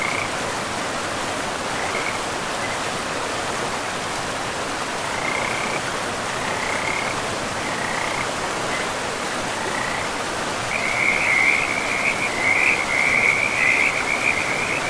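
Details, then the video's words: Frogs beside a river in a pristine, moss-covered forest: scattered short trilled croaks at first, building after ten seconds into a dense, pulsing chorus of rattling calls over a steady rushing of flowing water. "River and Frogs sleep sounds"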